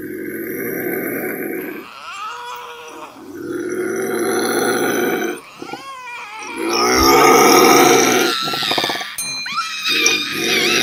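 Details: Bobcat scream, a drawn-out raspy yowl that rises and falls, repeated in several long bursts with brief dips, the last ones louder and more strained with rough, crackling edges.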